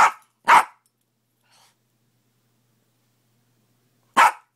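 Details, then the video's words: Fenway the dog barks in the morning: two quick sharp barks close together, then a long silence before one more loud bark at the end. "Fenway Bark"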